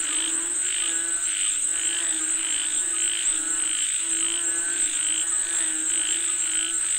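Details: Many frogs calling for rain at once: regular, evenly spaced pulsed croaks, about two per second, over lower rasping notes and a continuous high whine.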